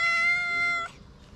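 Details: Stray cat in Morocco meowing at full voice for food: a single sustained, flat, bright meow of nearly a second that cuts off sharply, followed by quiet.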